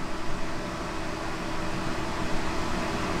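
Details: Loud, steady rushing noise like a running shower or fan fills the whole stretch, with no animal voice.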